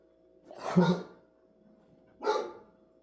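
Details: Two loud, rough dog barks about one and a half seconds apart, indoors against a steady background hum.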